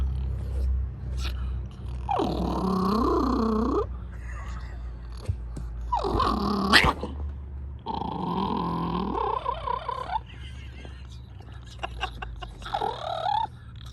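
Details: A small Chorkie relaxing in a pool, bothered by a Shih Tzu–Yorkie puppy, makes a wavering, whiny growl that sounds more like a yodel than a snarl, apparently trying to seem tough.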